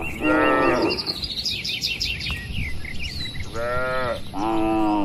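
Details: Free-grazing tame cattle in the countryside: a short moo, a pause filled with bird chirps, then two more moos in quick succession over soft wind noise.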